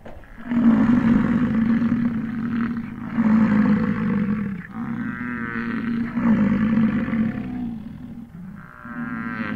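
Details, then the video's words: American bison bellowing in the wild during the 2022 rut, Grand Teton, Jackson Hole and Yellowstone area, recorded in stereo on a morning of chasing, rolling, fighting and mating; four deep, growling roars of two to three seconds each follow almost without gaps. "BISON RUT-2022-8K-live sound"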